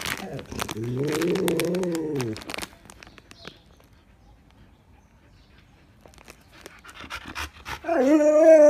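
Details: Siberian Huskies pestering their owner for Pedigree snacks: a rising-then-falling howling whine, then a quiet stretch with tapping and clicks, and a louder wavering whine at the close.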